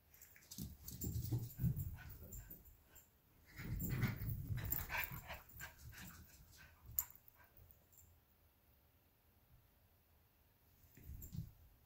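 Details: Two dogs, a 12-week-old Alaskan Klee Kai cross Pomeranian puppy and a 7-year-old American Eskimo cross Chihuahua, tussle over a toy fox indoors; low rumbling growls in two bursts, quiet scuffling between, a faint squeak near the end.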